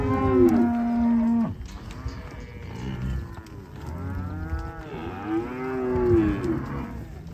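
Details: Black Angus cattle from a 140-head offering; a long, steady, low moo holds for a second and a half, then more lowing from other cows follows in rounded, swelling calls, the loudest near six seconds.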